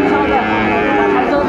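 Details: Sahiwal bull calf at a cattle market in Ambari, Dinajpur, Bangladesh, on 15 November 2024, offered to a farmer from Cumilla. A steady, sustained low moo with rich harmonics carries through, with people bargaining over prices nearby.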